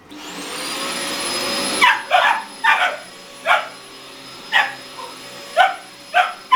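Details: Two 17-week-old boxer puppies barking indoors at a running vacuum cleaner: steady motor roar and high whine, then the roar drops and about eight loud, sharp barks follow at irregular intervals over the continuing whine.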